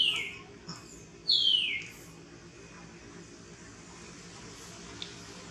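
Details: Hungry baby monkey begging for its mother's milk: two high, thin squeals sliding downward, the second longer, then quiet background hiss with a faint click near the end.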